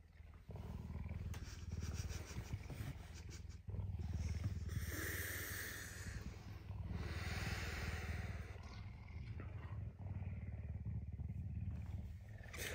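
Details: A hungry captive puma purrs on an early Tuesday morning at home, eager for breakfast. The low, throbbing purr is loud and unbroken for over twelve seconds, with faint rustling of bedding over it.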